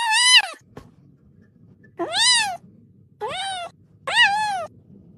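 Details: Pet cat indoors: four loud meows, each about half a second long, arched and slightly falling in pitch, spaced roughly a second apart against a quiet background.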